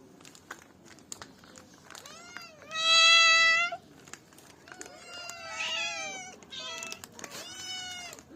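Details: Domestic cat meows: several clear harmonic meows, a loud long one near the start, then rising-falling calls repeated over eight seconds, with faint clicks and light background noise.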